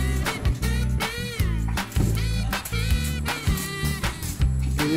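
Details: Funky soul music with a heavy bass groove, drums and sliding sung vocal lines, with no animal sounds.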